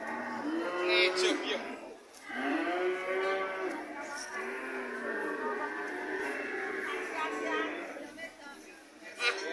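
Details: White cows lowing in drawn-out, harmonic moos that overlap one another, several voices rising and falling across the stretch with brief lulls between calls.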